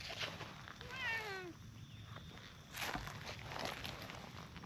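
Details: In a park, a brown tabby stray cat and a tortoiseshell sit together on a bench, petted one after the other; a short meow rises then slides downward, followed by soft rustles and handling noises outdoors.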